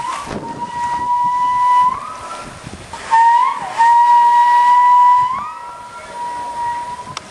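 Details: A male walrus at Dolfinarium Harderwijk, Netherlands, in April 2010, during mating season, whistles to attract females: long, level steam-whistle-like tones, each holding one steady pitch for a second or more, with short rising slides and quieter breaks.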